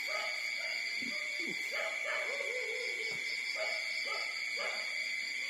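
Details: Newborn puppies, four days old, feed at their mother's side, letting out soft drawn-out whines and little squeaks, a few dropping sharply in pitch, against a constant shrill background tone.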